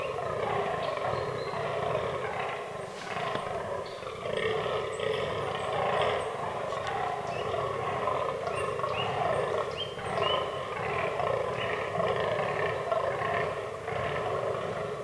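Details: Fallow deer in the autumn rut in a forest, in a herd that includes albino and melanistic bucks. Deep, rough groans overlap almost without pause, forming a continuous throaty chorus with no clear gaps between calls.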